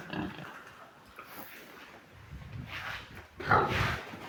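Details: Large White pigs on a farm: low, soft grunting early on, then a loud, harsh squealing burst near the end over a background of quiet shuffling.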